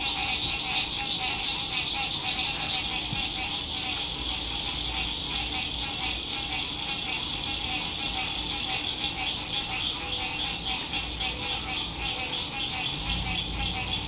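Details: Frogs singing at sunset beside a lake at an RV campsite in spring 2021, fine weather; a dense, steady chorus of rapid pulsed trilling fills the whole stretch, with a few faint high chirps above.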